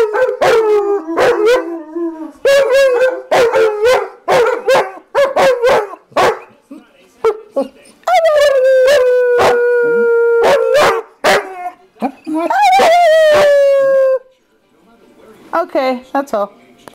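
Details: Two dogs welcoming their owner home after a hard day at work: bursts of sharp repeated barks and yips, then long sustained howls that slide slowly downward, rich in overtones, followed by a few more short barks.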